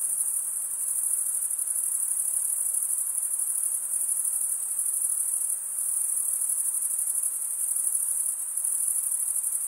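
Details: Crickets in a dense chorus, a steady, very high-pitched shimmering trill that runs without pause, with brief slight dips in loudness near the middle and toward the end; no other sounds.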